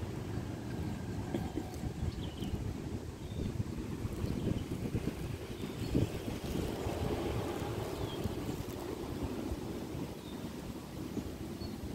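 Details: Wind buffeting the microphone and low rumbling noise, with no animal voice heard.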